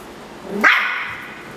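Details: Ruffus, a miniature schnauzer angry at a Yakult pot, lets out a single sharp bark that rises into a bright yelp and then fades quickly, indoors with a quiet room background.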